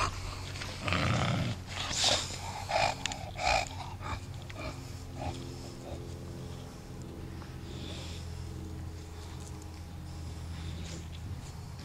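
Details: Bulldog Toby playing in a yard, giving a few loud broadband snorts and grunts in the first four seconds, then quieter snuffling over a steady low hum.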